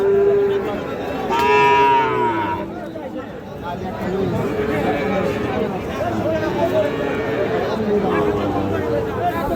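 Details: Sahiwal bull calves at Raniganj livestock market, 25 June 2026: a short low moo, then a louder, brighter bellow lasting about a second, followed by steady human talk and crowd noise.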